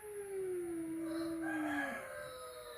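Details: Domestic cat at home, first meeting between a flat-nosed and a peak-nosed cat: one long, steady, low tonal yowl slowly sliding downward for about two seconds, ending in a brief rougher burst; quiet room.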